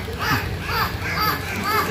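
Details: Dolphins performing in a show at Ocean Adventure, vocalizing on cue with clicks, squeaks, squawks and whistles: short curved squeaky whistles sliding up and down, repeated about every half second, over crowd and announcer chatter.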